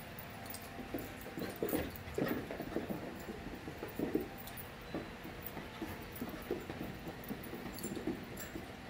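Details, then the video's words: Five-month-old puppies playing in a group, giving short whimpering yips and soft growly vocalisations in bursts over steady background hum and scuffling. "Puppy Play"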